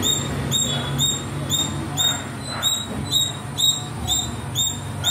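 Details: Playing in the trees, a little squirrel repeats a sharp, piercing chip about twice per second in an even series, over a quiet low background drone.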